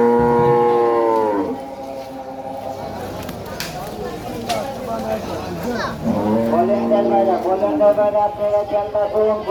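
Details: Cattle at a Qurbani market in late afternoon, a long deep moo at the start, then a second drawn-out moo later, over crowd noise and music.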